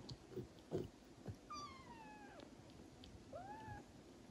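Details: Traditional Siamese (Thai) cats at home in the Netherlands, a mother licking her young kitten to stimulate it to pee; two clear drawn-out meows slide downward, the second shorter and arched, over soft licking and rustling indoors.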